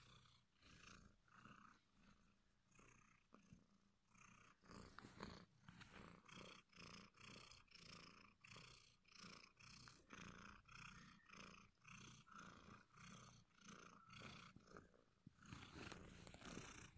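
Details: A pet cat named Martini purrs steadily and close, a soft rumbling throb that swells and fades with each breath, nearly two pulses every second, with a slight rustle near the end.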